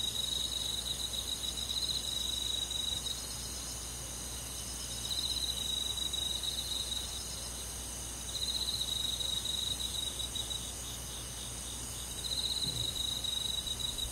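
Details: Cricket song on a summer night with forest bugs: rapid high pulsing trills come in four bouts roughly every three to four seconds, each lasting about two seconds, over an unbroken background insect drone.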